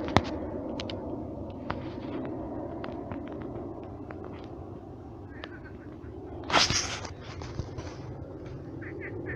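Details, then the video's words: Many frogs croaking at night in a shallow pond that has turned into a marsh: a dense, steady low chorus of overlapping croaks throughout, broken by a brief loud rustling burst past the midpoint and a few faint higher chirps near the end. "Кваканье лягушек. Лягушки квакают."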